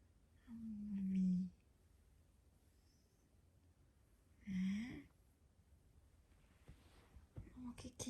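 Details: A big Maine Coon cat sleeps and snores very loudly, like a human, with low, droning breaths, each a few seconds apart.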